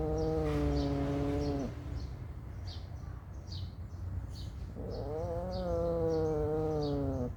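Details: Mother cat staying close to her newborn kittens gives two long, drawn-out meows: a steady tone lasting under two seconds, a pause of about three seconds, then a longer meow that rises slightly and sags at the end, over low background hum.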